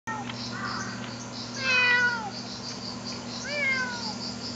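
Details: Domestic cat indoors meowing: a soft opening cry, then two clear drawn-out meows, each starting high and sliding downward, separated by about two seconds, over a steady low electrical hum.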